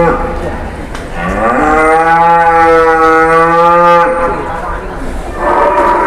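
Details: Indonesian cattle from two arriving trucks, one of them a jumbo-sized animal; a long, loud moo rises at first and then holds steady and tonal for about three seconds before cutting off, amid background rumble and faint voices.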